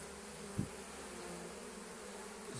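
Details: Busy honey bees returning with full pollen loads from willow on a March morning: constant buzzing hum of many wings, with a single dull knock partway through and a brief low sweep near the end.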